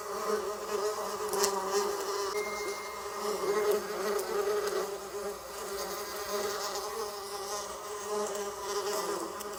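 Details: Bee humming in a low, unbroken buzz with a fluctuating level. A thin, high faint tone and a few clicks are briefly heard in the background.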